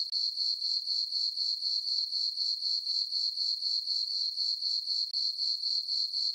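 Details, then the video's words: Crickets chirping on a peaceful summer night in a farm meadow under a full moon: a steady high, ringing trill pulsing about four times per second, very even, with no other sounds. "Cricket chirping sounds for sleeping"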